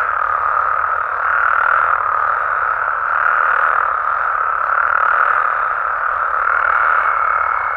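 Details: Chorus of Mexican frogs and toads after dark in their natural environment: constant overlapping croaking trills, rising and easing in loudness in slow waves, with a faint thin tone near the end.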